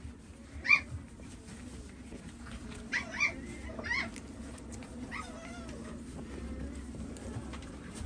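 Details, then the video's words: French Bulldog puppy, called a little crybaby, giving several short, high-pitched whining cries: a sharp loud yelp first, then a cluster of thinner whimpers around three to four seconds, followed by soft fading whines over a steady low indoor hum. "フレンチブルドッグ ちょっぴり泣き虫くん"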